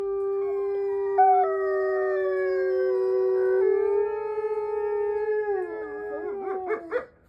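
A Mexican wolf gives a long, steady, mournful howl that wavers and breaks into yips at the end.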